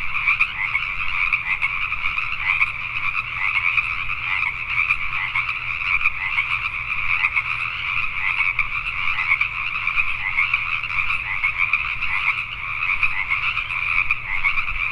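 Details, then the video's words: A night chorus of many Pacific tree frogs in Richmond, British Columbia, Canada: dense, overlapping rasping croaks in two steady bands, pulsing continuously without pause, with a faint low hum beneath. "Pacific Tree Frogs at Night"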